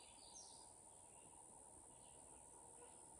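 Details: A Canadian cicada gives a steady, unbroken high buzz in shrubby early-successional habitat with blackberry and fire cherry on a hillside burned about three years earlier, Adirondack North Country; faint bird chirps in the background.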